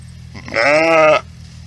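A sheep lets out one strong bleat, a nasal, quavering baa that holds steady and then cuts off abruptly. A low, faint background hum is all that surrounds it.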